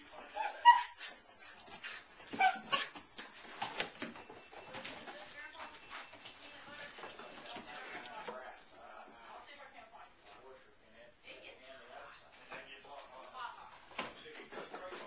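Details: A four-month-old German Shepherd puppy and a two-and-a-half-year-old Blue Great Dane playing tag indoors around scattered dog beds; loud yelps and barks early, then a long stretch of quieter whines, grumbles and scuffling, with a voice heard.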